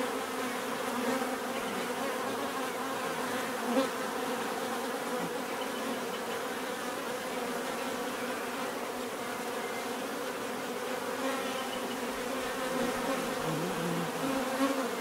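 A dense, steady hum of many bees buzzing together, with a rich layered drone.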